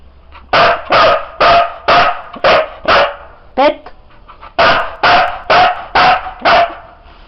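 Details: Counting trick by Siberian Husky Sizara: a long run of about a dozen loud barks at a steady quick pace, broken once by a brief gap where a human voice cuts in.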